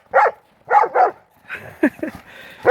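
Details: Pit bull mastiff brothers romping over a ball in backyard snow, Maryland blizzard 2016; sharp barks in pairs, a lower growling yelp in the middle, then another loud bark at the end.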